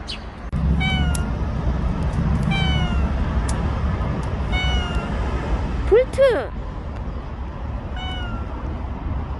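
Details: Bolt, a stray cat that stayed nearby for one year and five months, heard in its last footage: several short falling meows spaced a second or two apart, one louder rising-falling cry near six seconds, over a steady low rumble.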